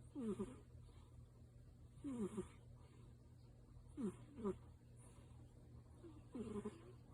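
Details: Soundly asleep tabby named Yuki, possibly dreaming, making loud nasal snore-like noises: paired squeaky, wavering whistles about every two seconds, each pair quick and rising then falling, above a constant low background hum.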